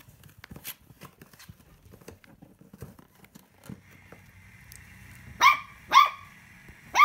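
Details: Puppy, one of a litter filmed from birth to ten weeks, gives three sharp high barks near the end, each about half a second apart, after quiet rustling and a steady tonal hum.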